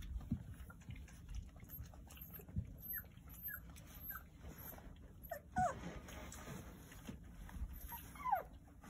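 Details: Nine Jindo puppies nursing from their mother Sarang at the age when all their teeth are coming in and she is starting to refuse them. Faint, thin squeaks, several falling in pitch, scattered over low rumbling background noise.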